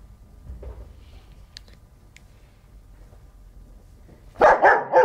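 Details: Black German Shepherd Dog heard after a long stretch of near-quiet background, ending with three loud, booming barks in rapid series during the final second.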